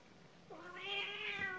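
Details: Single cat meow, a short clear tone that slides up and swells, then holds steady with rich overtones before a soft knock at the end.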